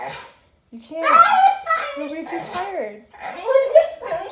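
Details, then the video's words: After surgery and kept from his walk, Thor the German Shepherd Boxer mix 'talks back' indoors with arching, yodel-like whines that swoop up and down, overlapped by human speech. "Dog goes crazy whining because he can’t go for a walk talks backs and screams"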